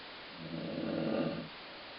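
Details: Dog named Colline snoring indoors, one drawn-out rasping breath lasting about a second, said to sound like a stomach growling, with low steady background hiss.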